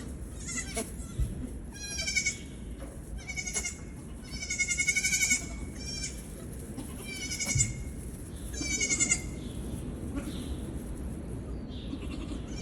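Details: Young Nigerian goat kids playing and jumping around, giving a run of wavering, nasal bleats in short bursts, several overlapping, with quiet background rumble between calls.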